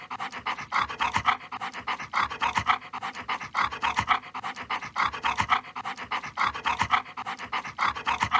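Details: Close, continuous panting from a Siberian Husky at its meal: regular breathy in-out pulses in short rhythmic runs, with light smacking sounds in the gaps.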